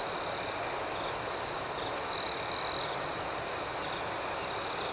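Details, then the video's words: Nocturnal cricket chirping, with a shrill, steady trill and rhythmic higher pulses. Two louder, closer trill bursts briefly stand out in the middle of the clip. "Soothing Cricket Sounds"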